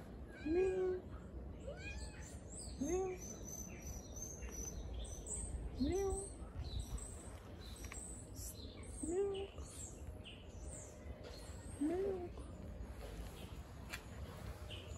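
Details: Hungry blind stray cat living on the street, waiting for food: five short meows, each rising then levelling off, repeated about every three seconds, with birds chirping and twittering in the background.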